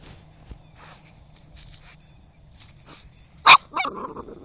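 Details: Spyke, the dog, busy hunting moles, fires off one sharp, loud single bark after a near-silent stretch of faint rustling, followed by a couple of quick, softer yipping huffs.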